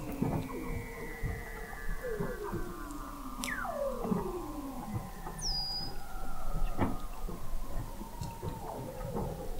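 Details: Weddell seal vocalizations under Antarctic sea ice in McMurdo Sound, November 2017, recorded 21 m deep by the McMurdo Oceanographic Observatory; a steep whistle plunging from high to low, with overlapping descending trills and a brief high chirp.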